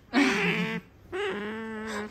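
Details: A pet female otter, indoors while having her temperature taken under the armpit, makes two drawn-out, whining squeals, each under a second long and strongly tonal with layered overtones, separated by a short pause.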